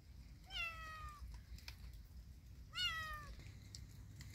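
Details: Kitten out in a yard during rainy weather giving two clear, loud meows about two seconds apart. Each rises quickly, then slides downward and trails off, against a low rumbling outdoor background.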